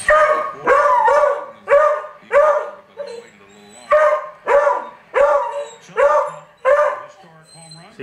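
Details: House dog barks excitedly at Barry Bonds on a TV screen, with about ten loud, sharp barks in an uneven rhythm, roughly one or two per second. Short lulls with low household sounds fall between the barks.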